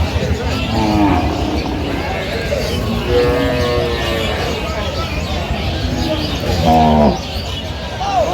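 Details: Cows with calves at Aftabganj cattle market in Dinajpur, Bangladesh, on 15 November 2025: several drawn-out lowing moos rising and falling over loud crowd chatter.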